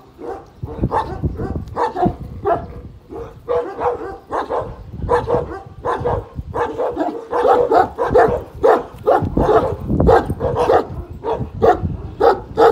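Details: Young Kangal Pars, one year old, faces down the giant dog Samuta at a Kangal farm. Steady, throaty barking builds in pace and loudness toward the end.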